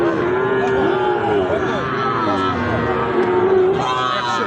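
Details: Moos of Sahiwal bull calves, a pair offered for sale at Ambari cattle market, which meets twice a week on Friday and Monday. Long, level lowing calls open and close the stretch, with market voices and crowd noise behind.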